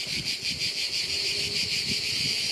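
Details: During summer holidays at a family house in France, cicadas that are hard to spot sing in a loud, steady, high-pitched buzz that pulses slightly without a break.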